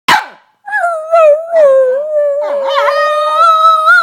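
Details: A female Boston Terrier gives a brief sharp bark, then a sustained, wavering howl-like whine and squeal; Boston Terrier.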